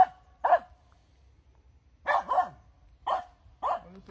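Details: Finnish Spitz, a hunting breed known for barking when it finds game, giving short sharp barks in quick pairs and singles, spaced about half a second to a second apart, over faint low hum.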